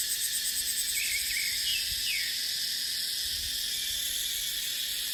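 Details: Cicadas singing in a dry-season dipterocarp forest with wind: a dense, piercing drone pulsing briefly at the start, then steady, with quick descending bird chirps and low soft thumps.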